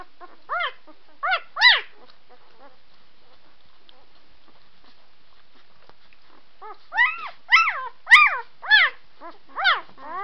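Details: High, bending whimpers from White Swiss Shepherd puppies: a brief burst of three yelps, several seconds of near silence, then a denser run of overlapping, rising-and-falling whines and a single sharp click.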